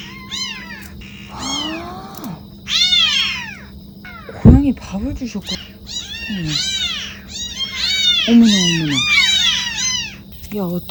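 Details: Domestic kitten crying at night from near a sewer, left without its mother and found by flashlight; repeated high arching meows, several overlapping, growing louder, with a person's brief voice and low background hum.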